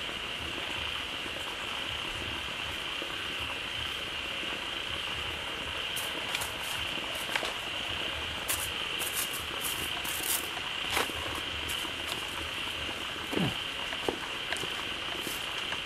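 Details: Many frogs gathered quickly in a pond as waterfall water began flowing in, calling loudly; a dense, continuous bubbling chorus with a steady high-pitched drone throughout and scattered sharp clicks and taps.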